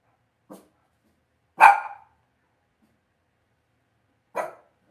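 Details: Indoor pen of Cavalier King Charles Spaniel puppies: three separate yappy barks, a soft one, a loud ringing one a second later, then a medium bark after a long quiet pause.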